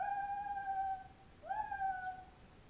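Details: Two captive white-handed gibbons at an animal park in Moraine giving their loud whooping call: a long, steady, mid-pitched hooting note, then a second that swoops upward before holding level, both rich in overtones.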